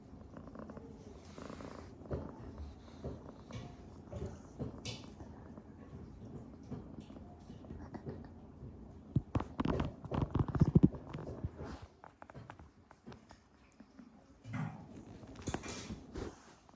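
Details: Sleeping domestic cat snoring indoors, a low continuous rumbling purr-like drone with soft breathy pulses, broken by louder rustling and handling noises midway and quiet background sounds of a small room.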